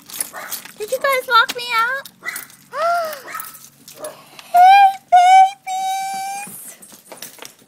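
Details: Dogs greeting an arrival home in summer in Houston, Texas, a household of a dachshund, an elderly beagle and a big mixed-breed dog: loud wavering whines, then long steady howled notes, each held about half a second to a second, with soft talking between.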